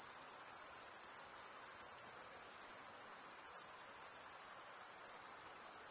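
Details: Crickets chirping by stridulation, males rubbing one wing's toothed vein against the other: a continuous, shrill, very high trill with a faint rapid pulse, steady in volume, with no other sounds.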